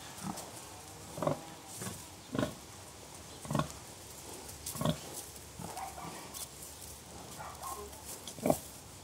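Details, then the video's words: Pigs expressing contentment through soft grunts: single short, low, breathy grunts repeated roughly every second, fairly evenly spaced, with one sharper, louder grunt near the end and faint hiss behind. "Harmonious Grunts: Pigs in Serene Conversation"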